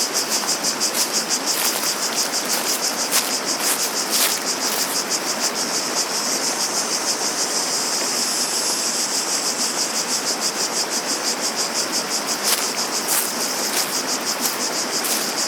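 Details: Cicadas singing outdoors: a shrill, high buzzing chorus pulsing about three times per second, steady throughout, over a constant rushing broadband noise with occasional sharp clicks.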